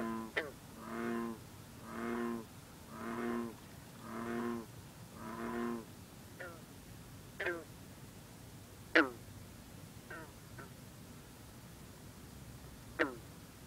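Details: Green frog, also called bronze frog, singing at night over misty water in cool, humid air, with bullfrogs and other green frogs around. Six low, droning harmonic croaks come about once a second, then sharp single twanging plucks at irregular intervals.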